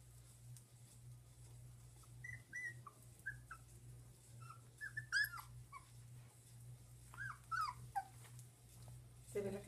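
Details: One-month-old dachshund puppies giving scattered, high, squeaky whimpers and short yips, some rising and falling sharply, spaced irregularly over a quiet indoor background with a steady low electrical hum.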